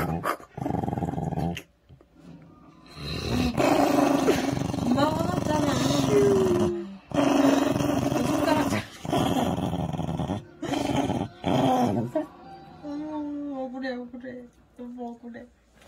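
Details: Nine-year-old Maltese dog indoors, guarding its toy doll by clutching it with both paws: sustained rough growls in long bursts of several seconds, separated by short silences, with a few higher whining tones near the end.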